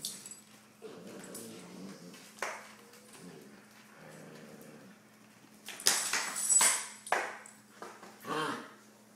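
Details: Siberian Husky puppy Maya at play with her older brother Max. Short, low, harmonic grumbling vocalizations and a brief thin whine, broken by sharp clatters and bumps of rough play in a small room, with a faint hum beneath.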